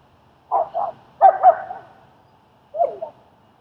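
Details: At a socializing session in Queens, New York, German Shepherd Strike assists with training the fearful dog Leonidas. Barks come as a quick double, then a rougher, drawn-out pair, and finally one more bark after a pause.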